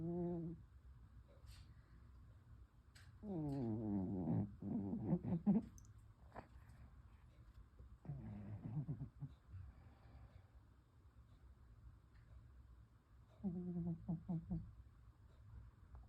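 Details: Domestic cat snoring during a lunchtime nap: rough, rattling snores in bursts about one second long, repeated every few seconds, with a steady low hum and faint clicks behind them.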